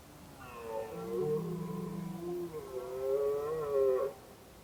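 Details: A red deer stag roars in a long, drawn-out bellow during the autumn rut, heard in forest while observers scout rutting grounds, staying on paths to avoid disturbing them.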